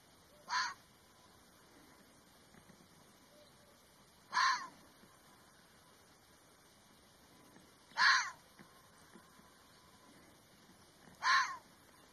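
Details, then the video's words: Red fox barking: four loud, harsh, clipped calls repeated about every three to four seconds, evenly strong, with a faint hiss in between. "Red Fox sound"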